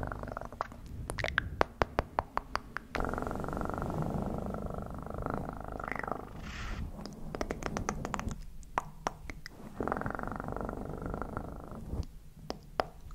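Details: Domestic cat purring in a steady low rumble, overlaid by frequent sharp clicks and taps clustered in bursts, with brief quieter gaps between rumbling stretches.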